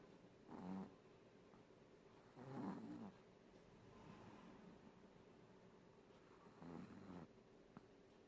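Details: Chihuahua snoring while napping indoors; soft, low rasping breaths in three separate bursts, near 0.7, 2.7 and 6.9 seconds, with quiet background hum between them.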